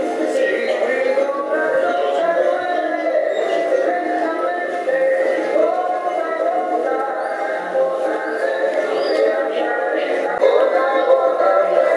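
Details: Steady music with synthetic-sounding vocals fills the whole stretch, with no animal voice standing out.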